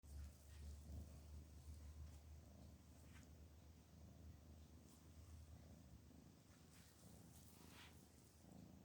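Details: A relaxed, happy domestic cat purrs in a steady, low rumbling drone throughout, with a gentle pulsing rhythm and faint rustling above.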